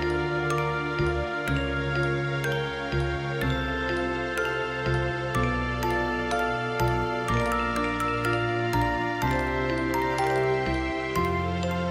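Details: Gentle background music with tinkling chime-like notes and soft chords plays steadily; no animal sound stands out.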